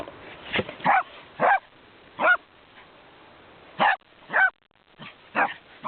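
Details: A small dog called Sammy, excited and running wild, lets out about eight sharp, high barks in irregular bursts, some paired closely, others separated by pauses of over a second, over a quiet background.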